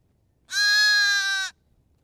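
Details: Sheep or lamb bleating: a single steady, nasal, strongly harmonic bleat lasting about one second, with no other sounds around it.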